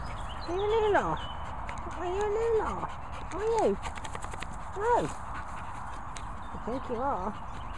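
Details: Caspa, an American Bulldog, messing around: about five drawn-out arched whines or yowls that rise then fall, each under a second, spaced roughly one to two seconds apart, over a steady low rumble with scattered clicks.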